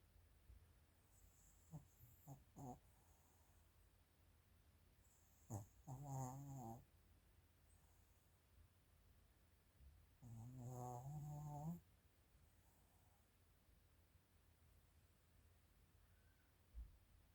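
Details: Female Maltese and Shih Tzu cross dog, born July 2017 and somewhat overweight, recorded snoring on 24 December 2024; soft short snuffles early, then two longer rasping, harmonic snores near 6 and 11 seconds, quiet between.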